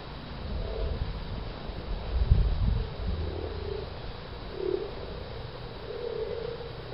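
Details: Common frogs at the Offshoots permaculture site in Towneley Park, Burnley, Lancashire, March 2010: soft, low purring croaks in short separate bursts, one a little louder near the middle, with a low rumble beneath.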